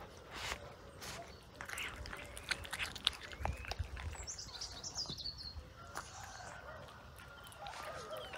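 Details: Several cats chewing fresh raw sprat, with loud irregular crunching bursts and sharp clicks, quieter smacking between them, and faint bird chirps and whistles behind.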